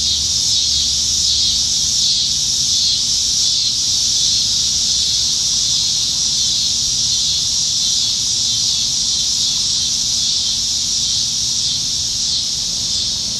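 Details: Summer evening chorus of plentiful cicadas in Nebraska trees, July 2019: a continuous shrill, high-pitched buzzing wall of sound, level throughout, with only a faint low rumble underneath.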